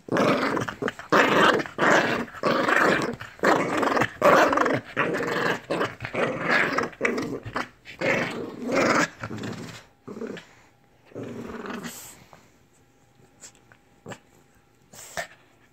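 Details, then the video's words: Lhasa Apso dog indoors in a small room, growling in long rough bursts that run almost without pause for about nine seconds, then tapering off into short scattered snarls and near silence. "BEWARE of the Lhasa Apso"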